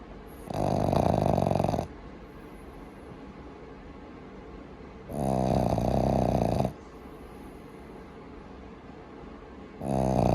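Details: Loud snoring from Maru, a pet Boston Terrier puppy asleep and at ease at home: long raspy snores roughly every four to five seconds, separated by quieter breathing.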